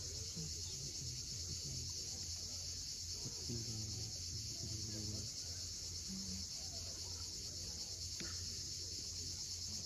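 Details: Crimean cicadas at sunset, Cape Fiolent coast: a constant high-pitched buzzing sheet of sound, with brief low stepped tones and one sharp click partway through.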